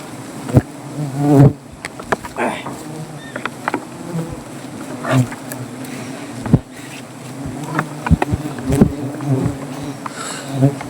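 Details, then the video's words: Angry native honey bees swarm around their comb under a tree while honey is collected; a steady, low droning hum persists throughout, broken by sharp knocks and handling clatter, with brief human voices. "রাগী মৌমাছির মৌচাঁক থেকে খাঁটি মধু সংগ্রহ"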